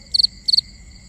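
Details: Two quick high chirps from a cricket at night, each three rapid pulses, followed by a pause with only a faint steady hum.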